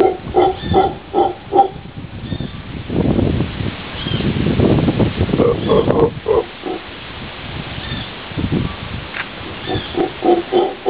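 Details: Howler monkey in Costa Rica calling back and forth with a local person who imitates it: rhythmic bursts of deep, grunting roars in short repeated pulses, alternating with longer rough, breathy stretches from the human caller.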